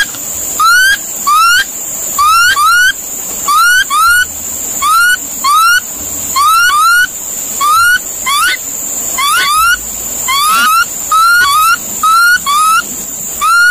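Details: A monkey calling repeatedly: a long series of brief rising whistled notes with ringing overtones, often in quick pairs or threes, about twenty in all, over a steady high hiss.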